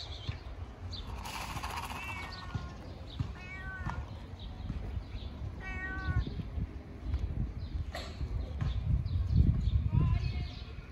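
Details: Fat ginger domestic cat meowing loudly because it wants to eat: a run of short, rising-falling harmonic meows, several in quick succession then a pause, over low rumbling background noise.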